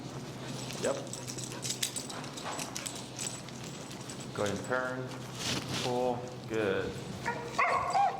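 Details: Finnegan, an extremely vocal feral husky at heel training, protests a behavior under teaching pressure: a quiet stretch, then a run of wavering, harmonic woo-like whines and yelps in the last half, with a man talking throughout.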